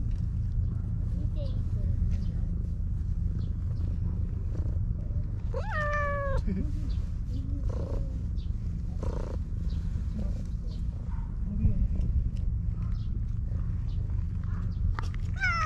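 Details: Petted in a park, the affectionate stray cat Maro lets out a clear, slightly falling meow midway and another at the end, with soft human speech and low outdoor rumble in between.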